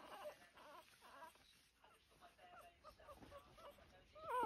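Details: Two-week-old Lancashire Heeler puppies rushing to feed at breakfast time; a string of short, thin whimpering squeals that rise and fall, some quavering, scattered through the clip and ending in a louder, sharper squeal.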